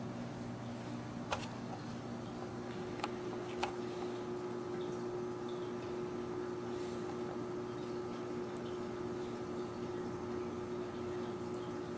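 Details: Steady indoor hum with low electrical tones and a few sharp clicks, no animal voices.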